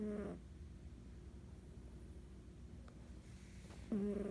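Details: An ornery female domestic cat snoring while asleep, low rough snores at the start and end with a quiet stretch of soft breathing between.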